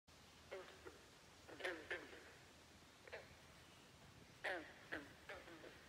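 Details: Frogs croaking at Great Falls National Park in McLean, Virginia: short, raspy, pulsed croaks in scattered bursts, some doubled, separated by quiet gaps over a faint steady background hiss.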